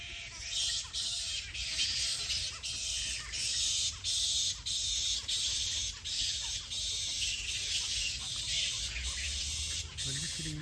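A roosting bat colony gives dense, shrill chattering and squabbling calls in rapid overlapping bursts.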